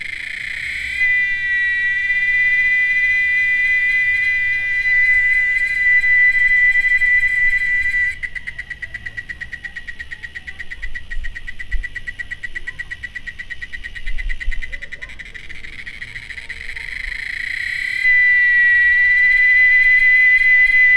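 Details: Cicada song as a loud, shrill, sustained whine held at one high pitch. In the middle it breaks into a fast, throbbing pulsed buzz, then returns to the smooth continuous tone.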